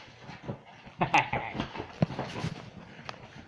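A Dachshund makes brief, gravelly growls and snarling bursts, strongest in the middle, as part of rough play. Rustling and handling noises run underneath.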